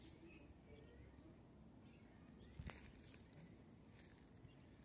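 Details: A white cricket gives a steady, high-pitched trill that holds one unbroken note throughout.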